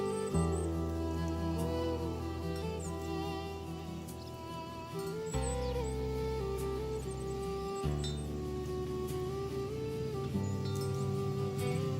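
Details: Sustained string and synthesizer music plays throughout, with no mooing or other animal sounds.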